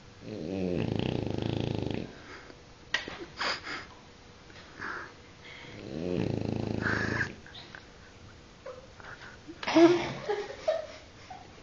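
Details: Guizmo, a French Bulldog, snores in two long, buzzing, low-pitched breaths about five seconds apart. Soft rustling and snuffling sounds fill the gaps between them.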